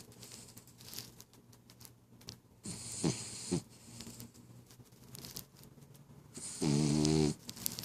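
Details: Sleeping female pet dog snoring indoors, a short soft snort near the middle, then one longer wavering, harmonic snore near the end, with quiet room noise between breaths.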